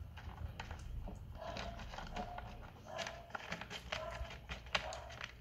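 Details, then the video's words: Persian kitten that is hungry gives several short, level mews spaced about a second apart, mixed with tapping and rustling indoors. "Cute Persian kitten is hungry"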